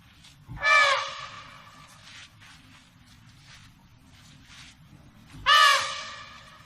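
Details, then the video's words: Two sharp, bright trumpet blasts from an African elephant, roughly five seconds apart, each rich in harmonics and fading quickly, over a low background murmur. "African elephant sound effect"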